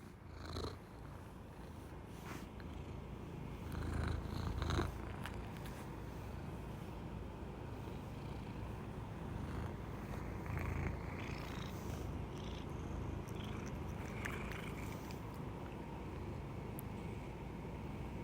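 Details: American Shorthair cat named Ginta purring with a rumbling sound like snoring, a low steady rattling purr continuing throughout, with a few faint clicks and rustles early on.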